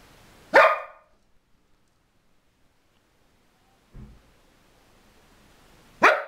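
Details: A pet dog named Mona barks on seeing her mistress again after a week, the woman just home from hospital. Two loud, abrupt barks about five and a half seconds apart, with a brief low thump between them in a quiet room.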